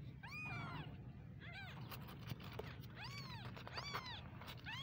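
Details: Baby kittens meowing: a few high, arched, harmonic-rich mews in short bursts, some overlapping, with gaps between them, over a steady low rumble of background noise.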